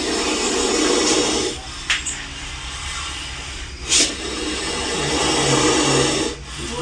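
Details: Aggressive Indian cobra cornered in a bathroom, striking straight toward people, gives long breathy hisses lasting one to two seconds, separated by brief quiet gaps and sharp clicks, over a steady room background.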